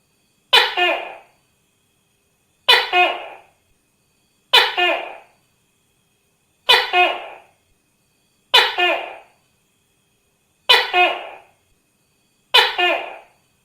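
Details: Tokay gecko calling in a steady series: seven loud, harsh two-part calls spaced about two seconds apart. Each call has a sharp clipped first syllable followed by a longer, slightly lower second note, with silence between calls.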